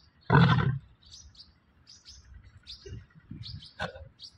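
A Bengal tiger gives a single brief, throaty roar, deep and rough, lasting about half a second. Afterward high, thin chirps from small birds carry on quietly in the background.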